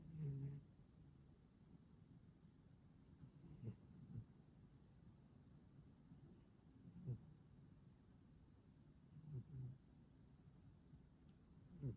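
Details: Moko, a pet cat, snoring while asleep: soft, low rumbling breaths rising into brief louder snorts roughly every two to three seconds over a quiet, steady background hum.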